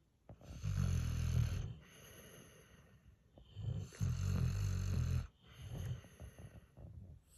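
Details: Sleeping, drooling dogs, a Pit Bull puppy and a senior Mastiff/Pit mix, snore deeply: low rumbling snores come in long drawn bursts about every two seconds, with soft breathy hiss between them in a quiet room.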